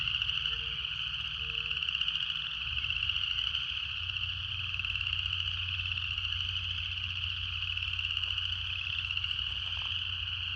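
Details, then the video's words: Steady shrill buzzing of cicadas in nature, a constant high drone without breaks, with a low pulsing hum underneath and two short faint tones near the start. "Canto das Cigarras"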